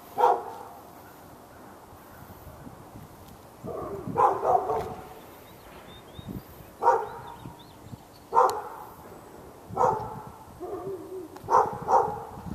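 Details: Fenced dog in Raleigh, North Carolina, barking for hours at the dog next door on February 15, 2012: single loud barks recurring every one to three seconds, about seven in all, with a closing double bark and faint background noise.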